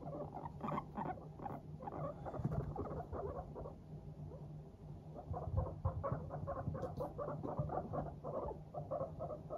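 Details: Happy guinea pigs, Teddy and Abyssinian breeds, walking briskly and chattering: dense trains of short, soft, repeated pulses, a brief lull near the middle, then another busy run of bubbling notes over a low hum.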